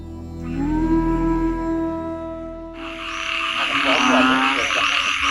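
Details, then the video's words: A dense chorus of many kinds of frogs croaking at once in rapid overlapping notes from water at Angkor Wat, Siem Reap, Cambodia. "কত রকম ব্যাঙের ডাক শুনুন কত রকম ব্যাঙ ডাকছে এখানে"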